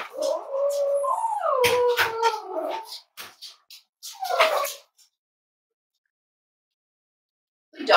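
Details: Cavalier King Charles Spaniel puppies snuggling indoors on a warm Friday morning, raised at home as emotional support animals; long wavering tonal whines gliding up and down for about three seconds, then a shorter whine burst and quiet.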